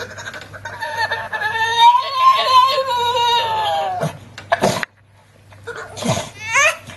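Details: Titan the staffie, a Staffordshire Bull Terrier worked up around children and pleading for cupcake, gives a long tonal yodelling moan that rises and dips over about three seconds, followed by loud human laughter in a small room.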